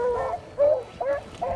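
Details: Rabbit-hunting dogs released from a truck in Pike County, eastern Kentucky, apparently running rabbits: four short, tonal, yelping bays about every 0.4 seconds, each rising slightly, with faint outdoor background.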